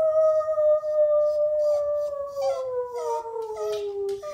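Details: Pet dog singing along with its owner, producing a long, smooth howl that slowly glides downward in pitch over about four seconds, with a second voice joining briefly partway through.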